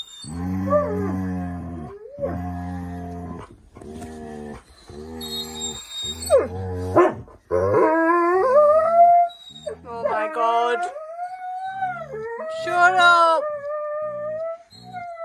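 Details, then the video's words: Siberian Huskies arguing and being dramatic indoors on a cosy night in: a series of harmonic yips and moaning howls, rising and wavering, some drawn out for several seconds, with light background music. "Huskies being dramatic and weird | Funny husky argument"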